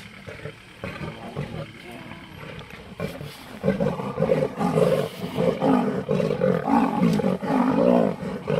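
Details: Lionesses battling a leopard in a tree over its kill in Sabi Sand Nature Reserve, South Africa; harsh snarling roars come in quick ragged pulses, growing louder midway, with a low hum of onlookers' voices.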